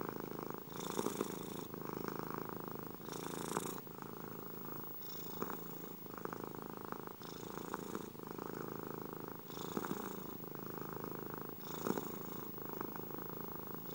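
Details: Domestic cat purring steadily in a quiet indoor setting, offered as relaxing sleep sound; a continuous low rumbling purr swells with each breath, brighter hissing bursts recurring roughly every two seconds.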